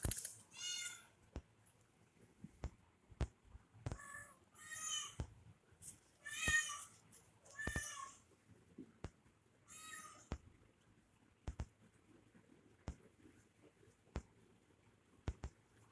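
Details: Young kitten at play with a person calls in a series of about six short, bright meows spread over sixteen seconds, mixed with frequent sharp clicks and light knocks in a quiet room.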